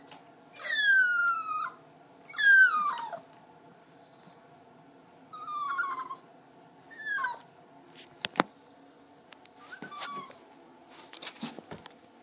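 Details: Jack Russell Terrier named Diesel during its first bath, giving high whining whimpers that slide downward, four drawn-out cries in the first half, then fainter short yelps with clicks and splashes.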